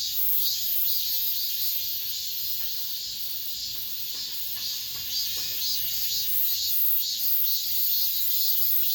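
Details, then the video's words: Last cicada song of the summer recorded inside an apartment complex: intense high buzzing in regular pulsing waves, with faint brief lower sounds beneath. "올 여름 마지막 매미소리"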